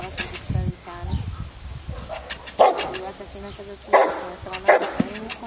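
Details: Aaron, a 14-month-old Cane Corso, in IPO training at Cascina Crimea, Cavagliano: three loud, harsh barks land about a second apart in the latter half, with people talking and handling noises throughout.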